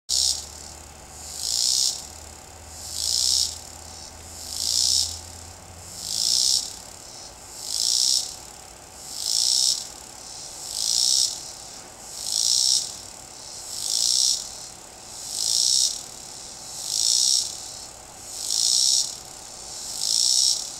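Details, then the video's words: A male cicada sings from a tree in loud, high buzzy pulses, each swelling and fading about every second and a half. It was filmed without disturbing it, with some background noise. "Cicada singing"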